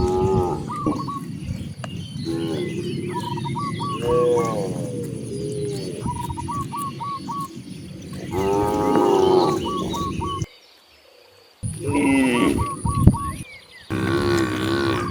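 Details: Several low, resonant moos from cows roaming freely on the way to open grasslands, some overlapping and swelling. Rapid, repeated bird whistles fill the gaps, with steady outdoor background noise and one short silent break.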